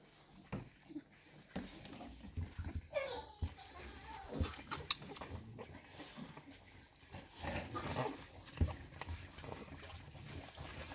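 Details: Staffordshire Bull Terrier pups of the 54th litter, only five weeks old, nursing from their mother Rubis on 2 December 2023; a thin falling whimper, then scattered faint grunts, snuffles and clicks with muffled movement noise.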